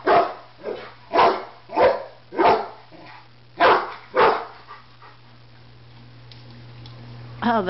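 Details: Rottweiler barking at a barbecue grill it thinks is about to attack him, with a Doberman nearby: six loud, sharp barks in quick succession over four seconds, then quiet over a steady low hum, ending with a short rising whine.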